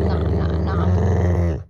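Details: A male pet Rottweiler growls while its owner restrains it and tells it not to bite. The deep, loud, continuous rumble carries throughout and then cuts off at the end.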